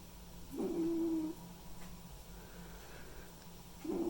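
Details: White and ginger male domestic cat snoring while asleep; a short nasal, tonal wheeze on each breath, one near the start and another at the end, over a quiet steady room hum.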